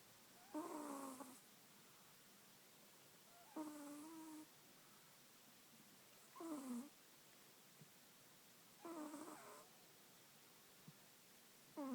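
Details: Sleeping Chihuahua snoring indoors: wheezy, whistling snores with a falling tone, each lasting under a second, repeated about every three seconds, five in all, with near silence between them.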